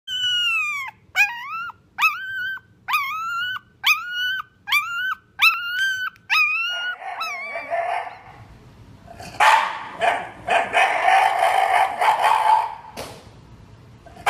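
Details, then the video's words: Shiba Inu dog from a compilation of the breed's sounds: eight sharp, high, bent yelps at roughly one per 0.7 seconds, followed by a rougher, noisy, grumbling vocal stretch with scattered louder bursts. "EVERY SOUND A SHIBA INU MAKES IN UNDER 2 MINUTES"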